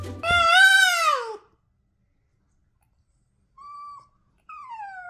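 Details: Boston Terrier giving a loud, drawn-out wail that rises and then slides downward over about a second, followed by silence and two faint, short whining notes near the end.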